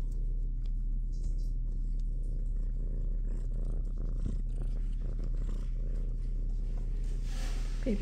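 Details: Young female shelter kitten in a large cat room, continuous low purring at roughly two pulses per second across the whole stretch, with a woman talking gently over it.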